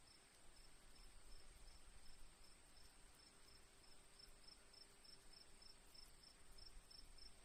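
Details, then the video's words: Crickets in a nature recording with rain water dripping softly: high chirps repeat in runs that grow denser toward the end, above a continuous shrill ringing, with a faint humming tone and low rumble. "crickets birds sounds"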